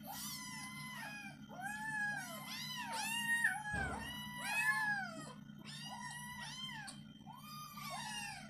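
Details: Kitten begging for tilapia as it is fried, giving a rapid string of overlapping, insistent meows, some short and some stretched and arching, about forty per minute, over a constant low kitchen hum and one brief thud.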